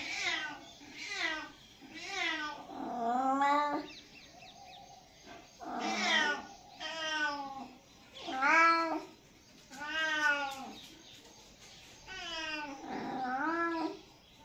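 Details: A kitten gives repeated plaintive meows, about nine harmonic calls in quick succession, several long and bending downward at the end, with a faint background hum and short gaps between cries.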